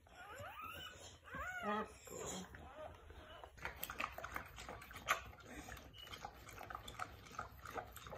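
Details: Pit Bull (Bully) giving birth to her first litter, indoors; high, wavering whines and squeaky whimpers rise and fall over the first two and a half seconds, then give way to soft rustling and quiet handling noises.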